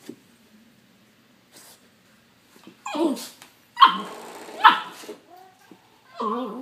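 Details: Young puppy barking at and fighting a doorstop indoors: mostly quiet, then a few sharp scattered yaps and a short wavering whine near the end, with rustling of play in between.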